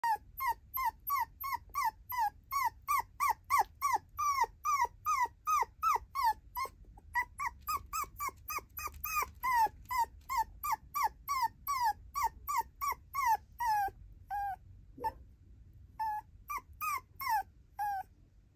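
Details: Female tiny poodle puppy indoors, giving a long run of high, whiny yelps that fall in pitch. They come about two or three per second with short pauses, with one brief low sound near the end.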